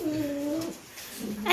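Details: One of three pet dogs, Pierre, Cherry or Meringue, at play indoors late at night lets out a steady, level whine lasting under a second, followed by a softer low note, with a woman's cooing voice nearby.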